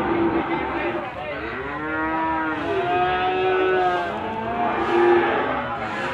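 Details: Limousin cattle at Gondanglegi animal market, Malang, East Java, on 12 February 2020. Several overlapping drawn-out moos rise and fall in pitch over six seconds, one following another amid a busy market hum.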